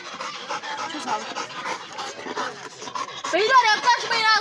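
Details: Pit bull panting rapidly while playing, quick breathy puffs repeated about three times a second, with human voices alongside and rising to louder, rougher breaths near the end.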